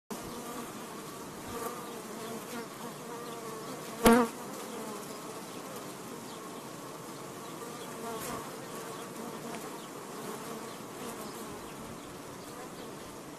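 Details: Swarm of thousands of honey bees, some 60,000 living inside a house wall, flying around and attacking the home in Garland, Texas: a dense, continuous droning hum with layered buzzing tones and one brief sharp knock.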